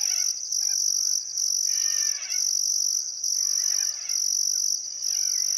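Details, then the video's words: Crickets chirping on a still summer afternoon at sunset beside the Barcoo River, Welford National Park, Outback Queensland, Australia: a steady high trill broken into pulses about once a second, with faint birdcalls below. "Australian Sunset Chirping Crickets"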